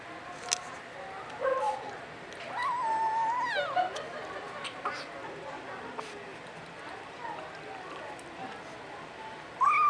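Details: A Domestic Shorthair (puspin) kitten in the Philippines gives short, wavering, mid-pitched meows and squeaky chirps between quieter pauses.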